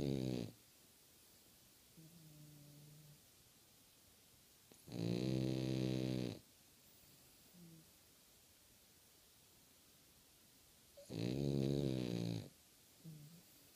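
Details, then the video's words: A French Bulldog, eyes open, snores in long, rattling, low breaths with quieter wheezes between them. "More french bulldog snoring with open eyes"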